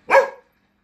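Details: Labradoodle excitedly greeting its owner coming home, one sharp, clear bark, then silence.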